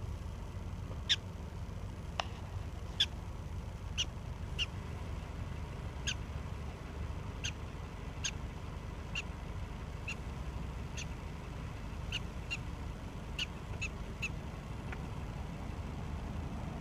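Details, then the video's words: Prairie dog chit-chatting with its owner and a companion named Shebby: short sharp chirps repeated irregularly about every half second to one second, over a low steady background rumble. "Prairie dog chit chatting with me and Shebby"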